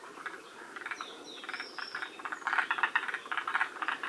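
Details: Forest green tree frogs at Shiriya in Aomori, Japan, near the species' northern range limit; after a quieter start, clustered rattly croaks come about four per second, with high gliding whistles early on.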